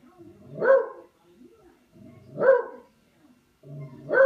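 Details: While playing with a katydid, a dog barks three times at a steady pace of roughly one bark every two seconds, each bark loud and gruff with soft huffs between.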